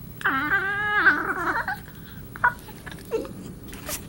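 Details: Darla, a pet cat at play with Marvin, gives a drawn-out, wavering, moan-like cry of about one and a half seconds with a strong tremolo, followed by a few faint clicks and soft thumps.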